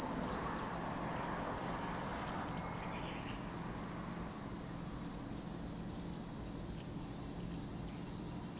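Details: An even, high-pitched cicada drone at Lake Kamo, Sado City, Niigata Prefecture, Japan, runs the whole time, with a brief soft rustle early on.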